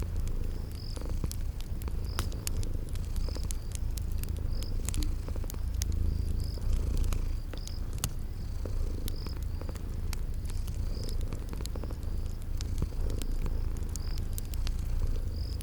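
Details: Deep, even purring of sleeping kitties runs throughout, under steady crackling fire and a cricket chirping every second or so in a spring garden atmosphere.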